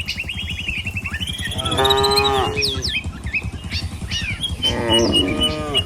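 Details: Dozens of tame village cattle moving toward the pen: a steady patter of hooves, then two drawn-out, rich lowing calls near two and five seconds, with bird twitters above.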